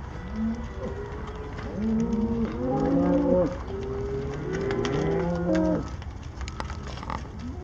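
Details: Cattle on a farm herd of thirty-three cows, a few overlapping moos: a short low call, then longer drawn-out moos with rising and falling pitch over several seconds, fading out near the end.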